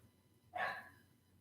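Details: Tucker, a pet dog indoors, left at home while the golden retriever is out on a walk, gives a single short bark as they near home. It is one sharp, mid-pitched yelp that quickly fades, with quiet room noise around it.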